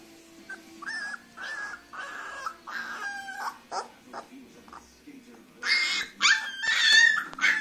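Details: Grey female Leonberger pup giving drawn-out whines that bend downward, followed by brief sharper yelps and a burst of higher squeaky cries near the end, over a low background hum.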